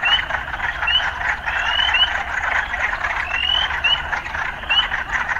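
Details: Urban frogs calling together: a thick croaking chorus with bright, upward-sliding chirps repeating irregularly, roughly twice per second at times.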